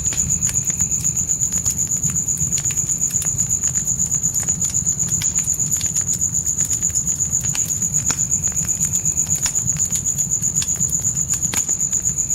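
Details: High, even cricket trill at night, pulsing roughly four times a second without pause, set against crackling, popping campfire sounds and a deep steady roar from the flames in a dark forest.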